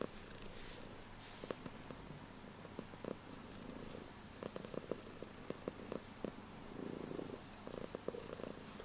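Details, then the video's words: Loud purring from a female house cat, a continuous low droning rumble overlaid with faint scattered clicks and rustles in a quiet room. "This Purring Comes From Her Heart!"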